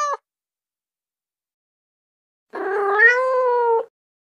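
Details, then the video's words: Female kitten call used to attract cats: a brief cut-off meow at the start, then after a pause one long drawn-out meow that rises slightly and holds steady, with nothing else heard. "Female Kitten Sound | Female Cat Sounds To Attract Cats"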